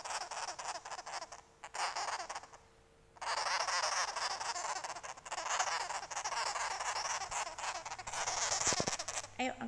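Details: Baby sugar glider in an angry mood gives a raspy, static-like buzz in long stretches, broken by short quiet gaps, with a person talking softly near the end.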